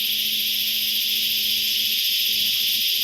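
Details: Chicharras, cicadas said to sound every year in a certain season, recorded on a hunting trip: a continuous shrill, hissing buzz fills the whole stretch, while a low steady tone comes and goes underneath in short bursts.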